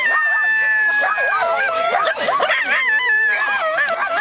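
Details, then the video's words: Several Miniature Schnauzers at a get-together near Seattle join in a pack howl after one begins: overlapping wavering, harmonic howls that rise and dip, several voices layered, with people's voices briefly audible. "Miniature Schnauzer Howling Party"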